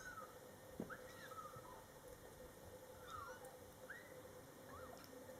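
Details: Young Scottish Fold kittens, born July 22, 2012, cared for by mother Coco and older sister Toffee, mewing repeatedly in short rising-then-falling squeaks about once a second against a steady room hum.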